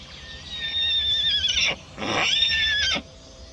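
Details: Little pony stallion tethered so he cannot run onto the road, unhappy at being tied, gives two loud shrill whinnies, each about a second long, quavering at a high pitch and then dropping sharply at the end, with a short quiet gap between them.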